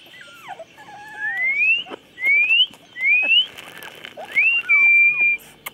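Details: Chocolate Labrador puppies at 24 days of age, 8/11/2014, giving four loud high whines, each sliding upward and about half a second long, spaced roughly a second apart, with softer lower squeaks between.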